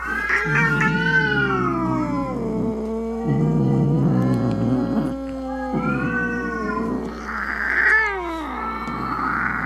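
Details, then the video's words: Angry cat meowing to scare rats, opossums and other cats away: repeated long, wavering yowls, each swelling then gliding down, some rising sharply at the start, with a low growling rumble between them. "Som De Gato Miando Bravo - Ronronando Para Espantar Rato, Gabiru, Saruê e Outros Gatos"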